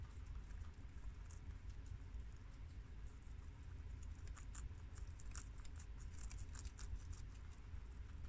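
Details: Pet guinea pigs, males and females of several breeds including Abyssinian and American, feast on freshly washed garden romaine lettuce; crunching starts sparse, then builds into a thick run of crisp, rapid chewing clicks above low background hum.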